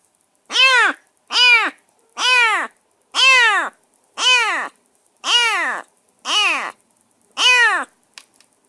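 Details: Semi-wild rescued stray kitten, bathed and fed, calling from a cage during its first minutes in a new home: eight loud, harmonic-rich meows, each rising then falling, repeated about once a second with short silent gaps.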